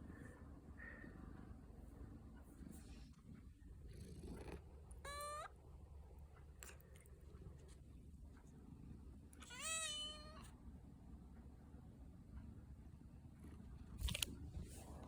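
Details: A cat meowing while yawning gives two drawn-out, high meows about five seconds apart, each a sweeping tone rich in overtones, over a low background hum, with a brief click near the end.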